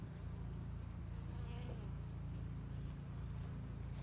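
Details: Honey bees inside a two-year-old spring hive in Hickory Creek, Texas, working to build up the colony ahead of the honey flow; a steady, deep droning hum with layered low tones, unbroken throughout.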